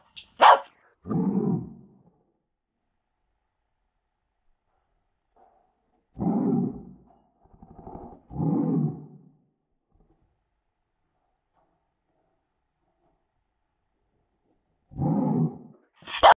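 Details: Dog barking, played back in slow motion: deep, drawn-out barks, each stretched to about a second, in a pair near the start, three in the middle and two near the end, separated by long silences.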